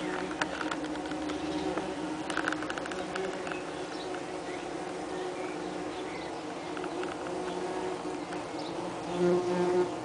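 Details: Dense droning hum from a Saxon wasp nest in a nest box, recorded 30 June 2010 in heat, workers having perforated the outer envelope to improve cooling; continuous buzzing with scattered ticks and brief louder wing passes near the end.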